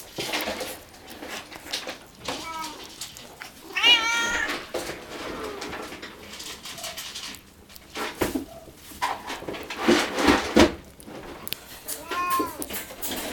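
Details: Three Munchkin kitten siblings, born 10 February 2016, trying weaning food at a cattery; a few short high meows scattered through, one sharp rising squeal near four seconds and another near twelve, over eating clicks and shuffling noises.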